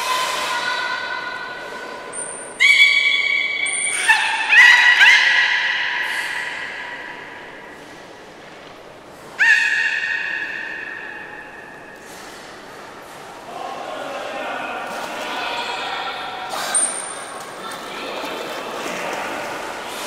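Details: Port of Nagoya Public Aquarium belugas during a pool transfer on 11 August 2018, keepers attempting to swap Nana and Hodoi. Loud buzzy harmonic squeals start abruptly, then trail off into quieter warbling calls and scattered high chirps.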